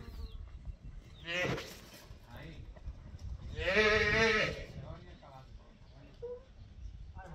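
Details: Young female calf during bullfighting training at a ranch's private bullfighting school; one drawn-out, harmonic bawl of under a second midway, with people talking quietly around it.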